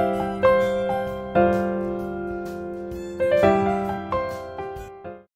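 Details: Soft piano music plays, with gently struck, slowly fading notes and no animal voice. Only the keyboard melody is heard from start to finish.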